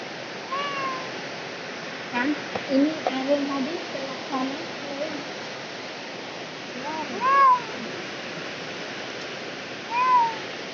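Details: Village house cat during birth, giving three drawn-out meows with arched, harmonic-rich contours, early, around seven seconds and near the end, while a person talks quietly in Indonesian between them over a steady background hiss.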